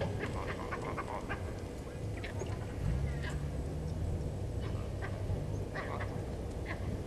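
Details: Alarm barks from vervet monkeys disturbed by Hosana, a male leopard on the move past Gowrie dam in Djuma Game Reserve, South Africa, late afternoon 08/04/19; short sharp calls scattered irregularly over heavy low background noise.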